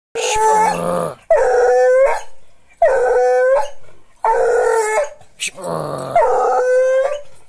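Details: American hound howling in five long, loud, drawn-out howls of about a second each, rich in stacked harmonics, each wavering then sliding or holding steady, separated by short silent pauses.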